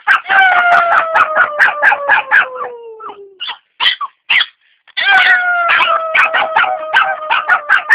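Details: Kirra, a four-month-old Jack Russell Terrier, singing along with a woman; drawn-out howls glide slowly downward in pitch, broken by quick rhythmic yapping pulses, a short pause, then another long sliding howl.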